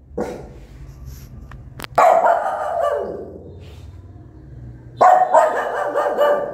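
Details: Angry mother dog barks loudly at her newborn puppies: a faint bark, a click, then a long harsh bark at two seconds and another rough, ragged bark burst from five seconds on.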